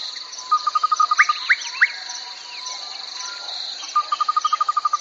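A steady, high, shimmering trill of crickets runs throughout, joined by lower pulsed trills repeated rapidly and a few quick rising whistled notes.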